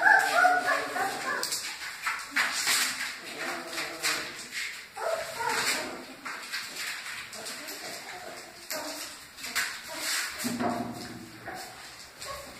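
Great Dane puppies whimper and yip in short, high, repeated cries, with a person speaking nearby.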